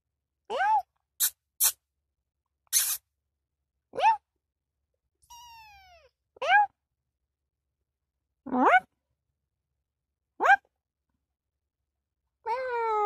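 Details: Kitten meowing indoors: about seven short, clear rising-then-falling meows spaced a second or two apart, one longer drawn-out descending mew in the middle, with a few sharp clicks and taps between calls.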